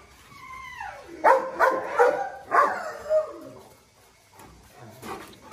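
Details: Presa Canario, a thin dog being given medicine by its owner: a high whine slides downward, then a quick burst of about five sharp, rough barks within two seconds, one last bark, and quiet with faint rustling.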